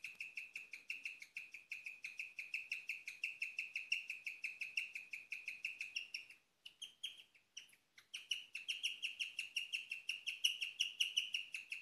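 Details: Female pet guinea pig in a night-time chirping bout, a rare sound: steady fast string of high bird-like chirps, nearly three per second, breaking into short gaps before resuming slightly higher and stronger.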